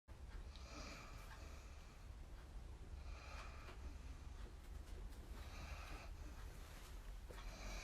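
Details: Sleeping dog snoring on a crowded sofa during an evening cuddle, his brother dog sitting on top of him; soft, breathy snores recur about every two to three seconds over a steady low rumble.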